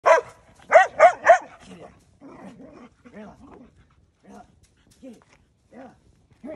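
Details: Belgian Malinois named Rayla, who hates brooms, reacting to a broom: four loud, sharp barks in quick succession open the recording, followed by a string of softer, lower, rising-and-falling grumbling sounds with short pauses between them.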